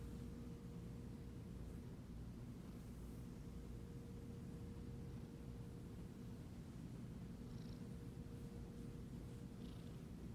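A Siamese cat gives a deep, even purr that runs without a break from start to finish. The rumble stays low and steady, with only a faint hum and a few soft rustles above it.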